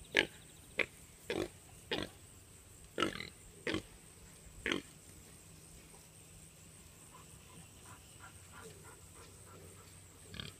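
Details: A herd of Tamworth pigs with piglets converging on the feeding area on a farm: a series of sharp, loud squeals in the first five seconds, then quieter, scattered grunting as the group settles.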